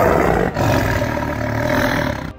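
A tiger gives a deep, harsh growl that rumbles on almost without pause.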